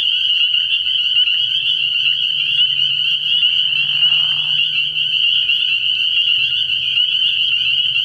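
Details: Spring peepers chorusing at night early in the year at a frog pond: a dense, unbroken wall of high shrill peeps. Near the middle, a brief lower, rougher call, and a faint low hum throughout.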